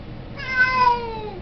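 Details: One meow of about one second from a talkative male Siamese cat eager to go out to play, starting high and gliding gently down, clear harmonics over a quiet indoor background.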